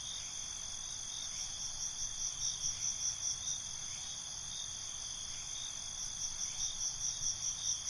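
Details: Night crickets in a continuous shrill chorus: layered high trills with regular pulses repeating about twice a second, loudness swelling and fading in gentle waves, plus a higher stuttering trill at the start and end.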